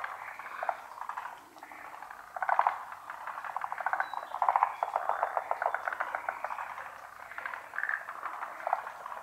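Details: Frogs calling en masse from a pond, none visible: bubbling, rattling croaks rise and fall in uneven waves, with short bright trilled bursts near 2.5 and 4.5 seconds.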